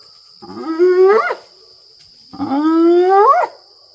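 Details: At night at Maroela Camp in Kruger, South Africa, in April 2024, a lone spotted hyena pacing a fence line just meters away gives two long, rising whoops. Each slides upward and ends abruptly, with a steady insect hum behind.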